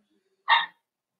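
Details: One sharp, clipped bark rings out while a litter of five blenheim Cavalier King Charles Spaniel puppies plays with its mother Paris, preceded by a faint low whine.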